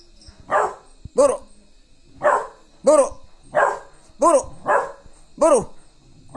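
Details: Rottweiler; guard bark; guarding, defensive warning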